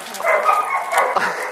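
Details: Irish Wolfhound puppies, 16 weeks old, as a young female visits her sister and brothers after seven weeks living apart; high, tonal whines and yelps rise and fall in quick overlapping bursts, with faint voices behind.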